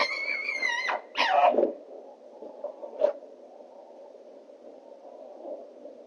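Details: Two female foxes, Rosie and Rubie, calling for a male on a noisy night in 2024: a drawn-out harmonic wail of about a second, then a harsher rasping screech, a short sharp note, and a low steady hum beneath.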